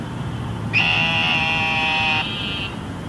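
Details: After flooding rain in Houston, an eastern narrow-mouthed toad gives one loud, harsh, sheep-like buzz of nearly two seconds, trailing into a fainter buzz, with distant city traffic humming below.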